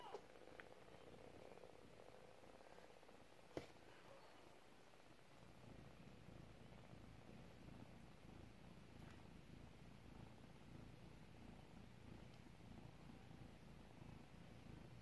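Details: Four-week-old domestic kitten purring continuously, a soft, dense, low rapid rumble that holds steady throughout, with a faint click or two in a quiet indoor room.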